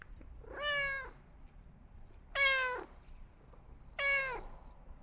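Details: Cat uttering three evenly spaced meows, each about half a second long and sliding downward in pitch at the end, roughly one and a half seconds apart against soft background noise.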